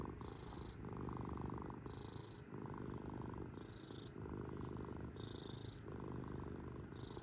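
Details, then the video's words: A domestic cat purrs steadily, its rough low rumble alternating between a fuller phase and a lighter, airier phase with each breath, about every second. "KITTY CAT PURRING MACHINE!"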